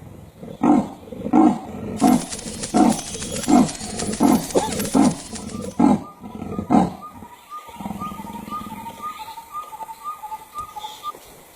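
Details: A female leopard gives a sawing call, a series of deep, rasping grunts like a saw drawn through wood, calling to other leopards and listening for a reply but getting none.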